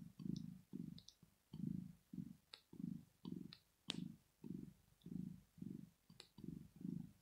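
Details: Female house cat Rosetta purs as she sleeps, a deep rhythmic rumble in about thirteen short pulses, one every half second, with faint clicking noises scattered above the purring.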